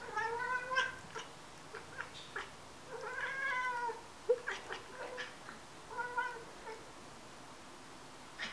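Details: Three young cats, two grey tabbies and a black one, excitedly watch birds on a patio while waiting for breakfast: drawn-out, arching mews with bright overtones about three seconds apart, with short clicking chirps between; a grey tabby is loudest. Cat, chirping.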